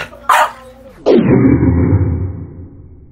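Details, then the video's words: French Bulldog throwing a tantrum indoors: a brief sharp yelp, then a loud drawn-out bark that breaks into a low, groaning, falling moan lasting about two seconds before fading. "My French Bulldog’s Tantrums"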